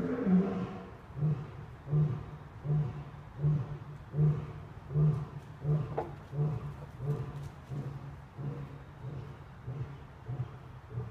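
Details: Lions playing at the National Zoo on 31 October 2014: a steady series of deep, low grunting calls repeated roughly every three-quarters of a second, fading slightly toward the end.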